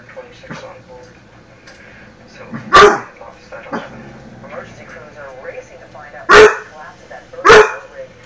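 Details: Pet dog barking at himself; three sharp, loud single barks spaced irregularly, at about three, six and a half and seven and a half seconds, over steady background television talk.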